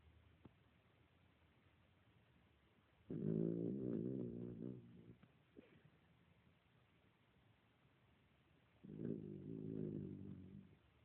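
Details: Dog snoring indoors in a small room, two long rumbling, harmonic breaths a few seconds apart, each lasting about two seconds, with quiet gaps between.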